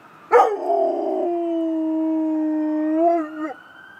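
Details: Rottweiler howling at ambulance sirens, one long sustained howl after a sharp onset, holding a steady pitch for about three seconds, then wavering and dropping away at the end.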